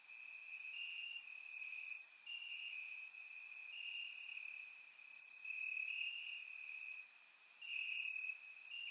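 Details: Crickets chirping in grass on a warm summer night in Bulgaria, captured with a surround microphone: a steady high trilling band with overlapping chirp bursts that swell and fade every second or two, plus occasional brighter, sharper insect pulses above.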